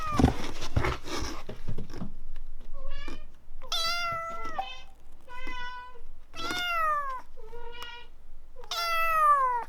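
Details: A series of short, clear meows from Samson, a formerly rescued kitten taken from a car in the workshop, now a big cat. The calls come roughly every second indoors, after an opening burst of handling noise.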